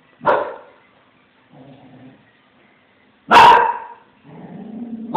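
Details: Branco, a Small Münsterländer, barks at a cat he has spotted; two sharp, strong barks about three seconds apart, each followed by a low rumbling growl-like whine.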